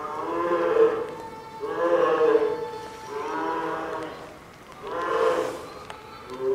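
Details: Nine-month-old polar bear Lila, scolded by her mother Lala, cries even louder in her Maruyama Zoo enclosure in Hokkaido amid typhoon wind and rain; repeated mooing, vowel-like wails roughly every one and a half seconds.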